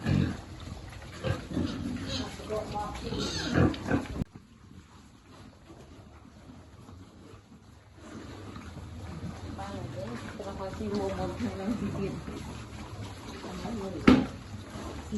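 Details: Quiet grunting and soft squeals from a piglet being fed in a farm pig group. The sound drops out briefly partway through, then returns with murmuring voices and a sharp knock near the end.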